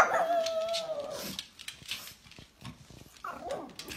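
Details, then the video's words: A pug reacting to its owner coughing, which it does not like: one long, tonal, falling bark-howl, then a brief pause with noise, then a second shorter bark. "Pug barking when his owner coughing"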